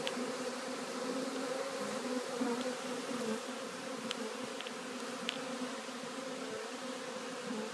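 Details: A swarm of honey bees moving into a new hive, dated 3/7/2013: continuous droning hum with a warbling low band, dense hiss on top and a few sharp clicks near the middle.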